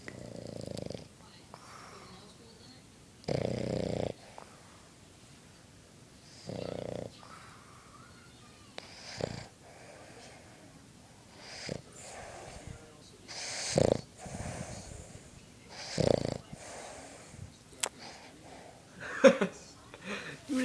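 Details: A content, sleeping Boston Terrier snores in rough, breathy bursts, with a person's soft voice now and then.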